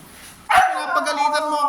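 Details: After a quiet moment, a Siberian Husky lets out one drawn-out, talking-style call: a strong sudden start, then a steady tone that gently falls in pitch and holds to the end.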